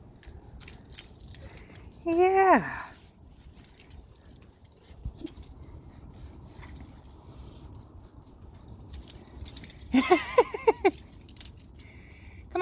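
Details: Nine-week-old puppies on their first time outside give two short whimpers, each a falling, tonal whine sliding downward, the first early and the second about eight seconds later, among rustling, jangling and a person's voice.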